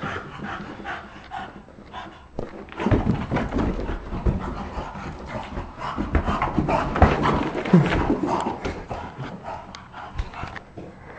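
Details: Bulldog in a basement at play, with rapid heavy panting and low snorting grunts, dense and uneven throughout, and faint human voices in the background.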